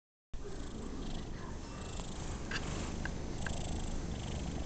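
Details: Domestic cat purring while enjoying a pat, sitting unusually still: a steady, low, rumbling drone that runs continuously after a brief silent start, with a few faint soft clicks.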